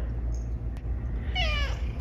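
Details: A male domestic cat meows demanding his dessert: one short, falling, harmonic meow late in the clip, over a steady low hum.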